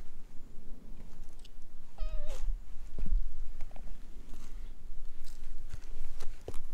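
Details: A stray cat, found sleeping in a gazebo and approached with a cat-grooming brush, recorded on a GoPro HERO8: one short, falling, harmonic meow near the middle, with rustling, soft thumps and faint outdoor background noise around it.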